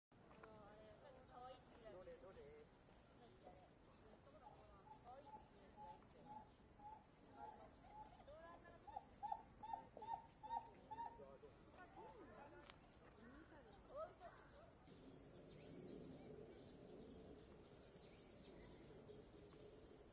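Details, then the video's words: Dhole, a canid, giving a series of short, clear whistled notes repeated rapidly at a steady pitch, louder mid-clip, over a faint background with people talking and some bird-like chirps. "Dhole ドール （アカオオカミ）"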